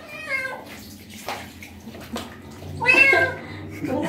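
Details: Stray street cat during its first bath gives drawn-out meows, a longer cry near the end, with splashing water and low background hum.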